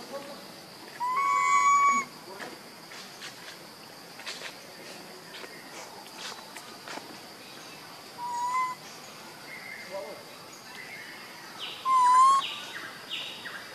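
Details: Hungry baby monkey Leo, missing his mother, repeats plaintive whistled cries: a level wail, a shorter one later, and a final wavering, slightly rising cry. Faint rustles and clicks sound between them over steady hiss.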